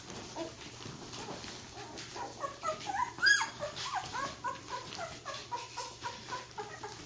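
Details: Vizsla puppies ten days old, making their first steps, whine in a steady run of thin, high, bending squeaks, one sharper squeal midway, calls coming every half second or so over soft shuffling.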